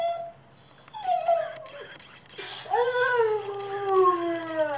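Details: A Cavalier King Charles Spaniel and Papillon mix dog, sort of howling for the first time, gives long, wavering, falling wails with a few whimpery yips between.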